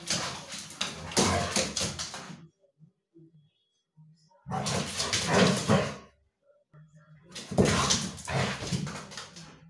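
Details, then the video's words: Two dogs, a border collie and a husky, playing together very loudly indoors; bursts of broadband growling, grumbling and yelping noises lasting about two seconds each, separated by short near-silent pauses. "Have you ever HEARD dogs playing together?"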